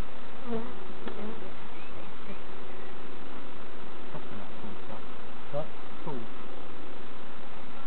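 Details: Honey bees buzzing as novices check their hives at Summerwood Lane Allotments and Community Garden: a steady, low hum with brief higher whines of passing bees and faint human voices underneath.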